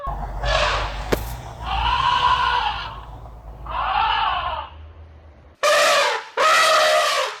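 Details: Elephant calling with drawn-out arching trumpets, three raspy tonal calls followed by two abrupt, very loud brassy blasts close together at the end.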